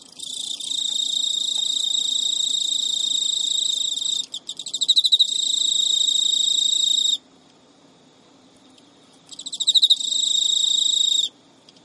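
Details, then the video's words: Pet male Emma field cricket courting a female that refuses to mate, recorded at midnight in early September 2011 in Japan; long high, buzzy trills broken by silent gaps, each restart opening with a few loud separate pulses. "Cricket Courtship Song Failed エンマコオロギの交尾拒否"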